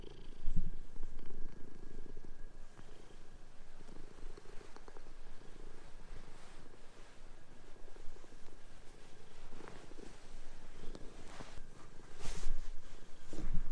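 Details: Pet cats playing and chasing each other on a bed during a sheet change at home; a steady deep purring rumble runs throughout, with bursts of rustling fabric and soft knocks.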